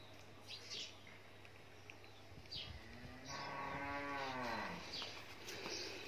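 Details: Sahiwal cow from Bhangura, Pabna, six-toothed age, twice calved with a heifer calf the second time, giving 21-22 litres of milk daily; one drawn-out, falling moo of about a second and a half over steady background hum, with speech after.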